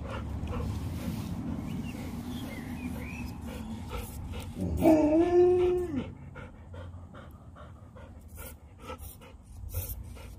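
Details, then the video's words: Leonberger play fighting with a Labrador, Montana and Lola, fifteen rounds nonstop: low rumbling growls and scuffling, then a short, loud, harmonic whining yowl that swells and falls off, followed by quieter thumps and bumps. "A LEONBERGER & LABRADOR PLAY FIGHTING"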